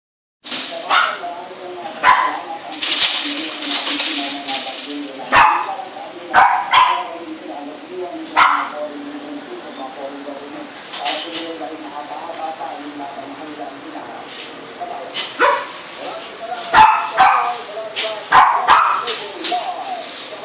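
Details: Coco, a Shih Tzu, gives sharp barks and yips in scattered bursts amid ongoing human speech throughout.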